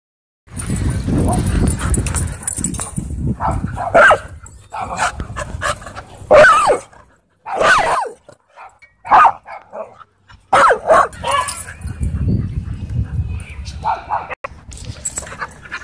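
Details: Dogs playing wildly at a dog park, loose and running together; several short barks and yips break through rough growling play noise, with stretches of scuffling and brief quiet gaps.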